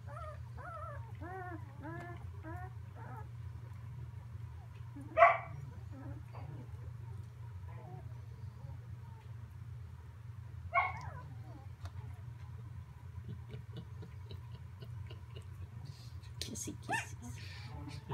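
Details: Samoyed puppies in a whelping box on Prince Edward Island, Canada, one pup moving about; a run of short rising whimpers and squeaks, then two louder yelps around five and eleven seconds, over a steady low hum.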